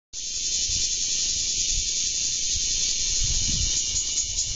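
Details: On 3 August 2012, a bear cicada perched on a rose bush in a garden sings a loud, dense, shrill buzz that holds steady throughout.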